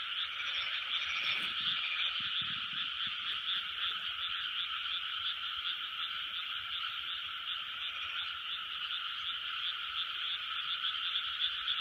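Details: A large frog chorus recorded in 2020: a dense, continuous wall of overlapping croaks and trills, steady throughout, with a few faint low thumps early on and no other clear sounds.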